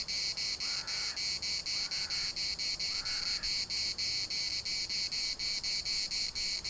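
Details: Cicadas chorusing in the municipal park of Larnaca: a loud, shrill, high buzz pulsing steadily about four times a second, with a few faint, soft arching calls in the background.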